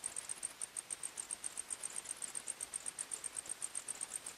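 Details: Crickets at night in forest, bright high-pitched chirps repeating rhythmically several times per second, clear and uninterrupted, with quiet hiss beneath.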